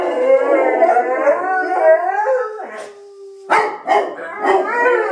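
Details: Two pet Bullmastiffs howling together, singing along to noises being made; overlapping wavering howls with harmonics, pitch sliding up and down, then breaking into short yelping bursts near the end.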